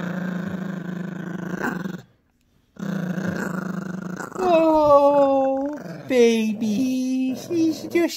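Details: Sustained rumbling growls from Gracie, a young Yorkshire Terrier guarding her new squeaky toy in a tug-of-war, then rising and falling whiny vocal tones and squeaks mixed with a person talking.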